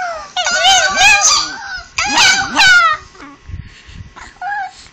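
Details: Chihuahua, indoors, reacting loudly to a recording of his own "I love you" talking, making two strong wavering, yodelling howls, each about a second long, followed by softer whines and a little speech.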